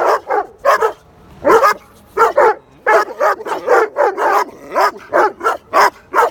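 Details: Dogo Argentino in a neighbourhood park barking at unfamiliar dogs; sharp, forceful barks repeated in quick uneven runs, some paired, with brief quiet gaps.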